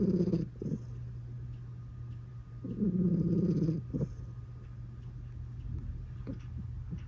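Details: Domestic cat purring while it snores, with two rough, pulsing low rumbles, one brief at the start and a longer one around the third second, then softer low breathing with faint clicks.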